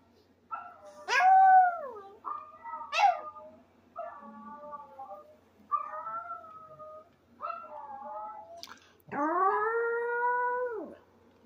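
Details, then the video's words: Maltese dog howling: seven drawn-out, tonal howls of one to two seconds each, some sliding downward in pitch at the end. The final howl is the longest and loudest. The background is quiet. "Maltese howling"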